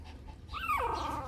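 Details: A Shih Tzu puppy from a 2014 litter, with the mother nearby, lets out one drawn-out high whine that wavers and then drops in pitch, over a low background rumble.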